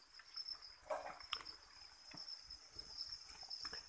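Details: Farmed crickets raised on chick feed in a breeding enclosure give a steady, high, unbroken trill, overlaid by scattered clicks, taps and rustling from the pen.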